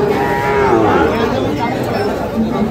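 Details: A Sahiwal bull calf, fattened for sale at Ambari market in Dinajpur, Bangladesh, 11 July 2025, lows with a wavering, bending pitch amid busy market voices.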